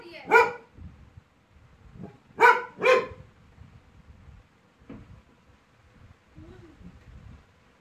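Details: Female Labrador Retriever, angry after being bothered by a small toy, gives three sharp harmonic barks, one early and a close pair near the middle, with a person speaking Hindi between them and quieter rustling indoors.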